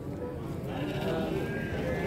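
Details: Pregnant ewes at the Ngadirejo animal market in Temanggung, Central Java, Indonesia, 20 January 2022; wavering, nasal bleats rise over steady crowd chatter and market bustle.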